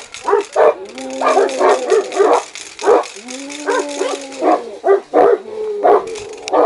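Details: Saint Bernard and Caucasian dogs acting aggressively: gruff barks in rapid runs, with drawn-out whining howls held between them and a few sharp yips.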